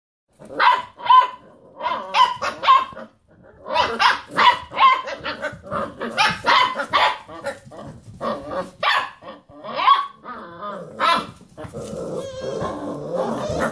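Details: Several Basset Hound puppies playing around a computer chair, rooing together: overlapping yappy barks and short wavering howls in quick succession, with a longer pitched roo near the end.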